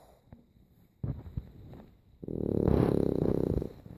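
A French Bulldog snores with a low, rattling, snuffling rumble.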